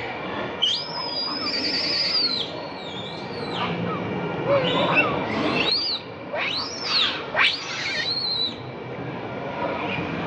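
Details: Baby monkey named Leo crying and begging its mother for milk: a run of high, whistled, arching cries that rise and fall sharply, some sliding steeply up and down, over a steady background hiss.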